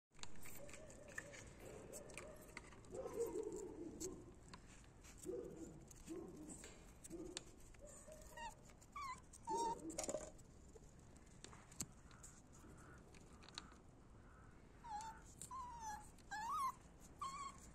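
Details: Male puppies from a litter whimpering indoors; soft low grumbling sounds early on, then thin, high squeaky whines that rise and fall, scattered mostly in the second half amid rustling.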